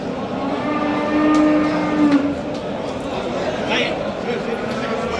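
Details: Low drawn-out moo of a Simmental bull for sale in Qorasuv, Andijan region, lasting about a second, followed by quieter market sounds, voices and shuffling in a busy livestock bazaar.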